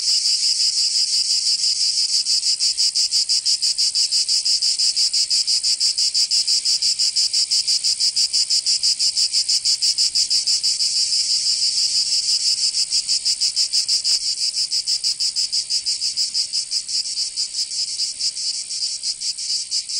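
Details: Cicadas singing in summer in Provence, southern France: a dense, harsh buzzing chorus pulsing rapidly about three times per second, steady throughout with slight fading of pulses near the end; no other sounds.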